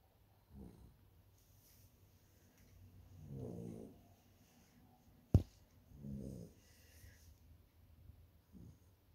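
Labrador puppies snoring: low, rough breaths swelling and fading every two to three seconds, with one sharp click partway through.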